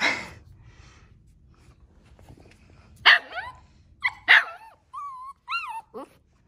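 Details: Two Central Asian Shepherd puppies, Neptune and Nyx, outdoors exploring a new area for the first time in cold 14F weather; a few sharp, harsh puppy barks, then high, wavering whines that rise and fall, in quiet surroundings.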